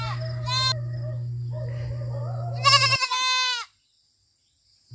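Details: Goats at pasture in the Philippine countryside: two harmonic, wavering bleats, a short one early and a longer quavering one near the end, over a steady low droning music bed that stops abruptly.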